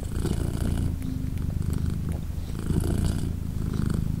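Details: Short stretch of a British Shorthair mother's purr while her three-day-old kittens nurse: a dense, even, low rumble with faint breathy texture throughout.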